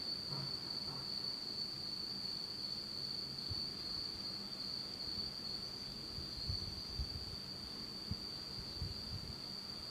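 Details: A night chorus of autumn insects in Japan, in total darkness, rings as a sustained high trill while low thumps and rumbling sounds come and go underneath.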